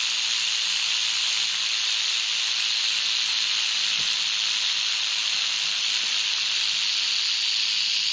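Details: Wild canebrake rattlesnake met on a North American dirt road, 81 degrees, late in herping season. Its rattle runs as a continuous dense hiss-like buzz for the whole stretch, with one faint click near the middle.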